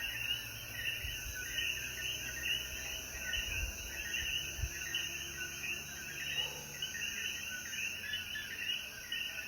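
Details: Puerto Rican coquí chorus after rainfall at dusk in the Jayuya highlands: rapid, overlapping chirped notes run throughout, with a high insect whine steady in the background and a few soft low thumps early on.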